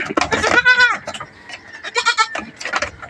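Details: Goat on a backyard farm, being given vitamins and dewormer because some animals are thin. One short wavering bleat of about half a second sounds mid-clip, surrounded by a man's talking and handling noises.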